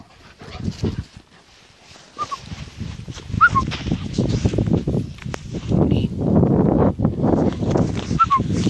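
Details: German Shepherd with one puppy: short high whimpers rise and fall three times among low rumbling, scuffling noise and handling sounds, with soft grunting in between.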